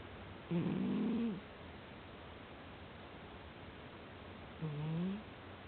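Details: Domestic cat sleeping soundly, snoring: two drawn-out, slightly rising nasal tones about four seconds apart, each lasting under a second, over steady low background hiss.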